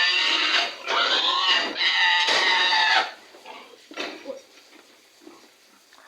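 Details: A stubborn sow with its head put in a sack during loading lets out loud, raspy, harmonic squeals for about three seconds in pulsing bursts, then quieter broken squeals as voices carry on nearby.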